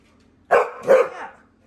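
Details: Mary the Pit Bull, a bored female pet dog kept inside away from a hot grill on the deck, complaining with two closely spaced husky barks, the second trailing off into a drawn-out moan.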